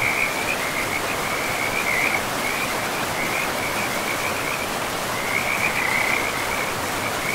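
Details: Chorus of frogs along a forest river among moss-covered ground: high trilled croaks roll on for about two seconds, pause, then return, all beneath a strong steady roar of running water.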